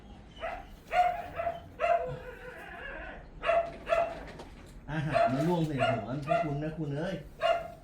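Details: Pomeranian named Mi-yu barking during an indoor training session with sit commands and food rewards; short high yips in clusters through the first half, then overlapping with a woman's talking and laughter.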